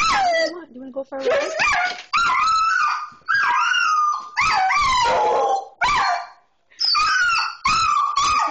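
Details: Border Collie, pet dog excited about going for a car ride: high, wavering whines and yelps that slide up and down, with short bursts close together, mixed with a person's speech.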